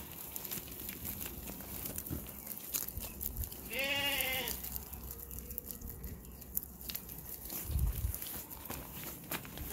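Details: Ram giving a single loud, wavering harmonic bleat about one second long midway through, over steady low rumbling background noise.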